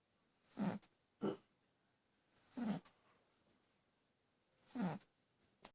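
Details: A male Boston Terrier napping on a lap with a full tummy snores in rough, low, breathy snorts at an uneven pace, one or two seconds apart.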